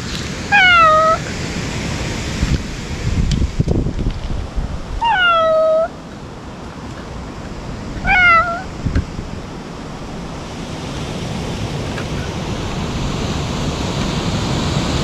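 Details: Stray ear-tipped cats crying out at a feeding spot in Japan, wary while being fed: three drawn-out, slightly falling meows a few seconds apart over steady wind or surf-like rumble.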